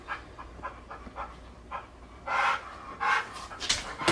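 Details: Pit bull named Bulle at the vet over a possible tumor, panting indoors: soft breathy bursts repeating roughly every quarter second, then louder, harsher broadband breaths toward the end.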